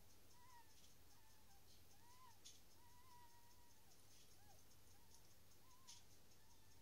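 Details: Newborn dachshund puppies just being born give faint, thin whimpering squeaks, short rising-and-falling whines repeated every second or so over a steady low hum and soft clicking in the background.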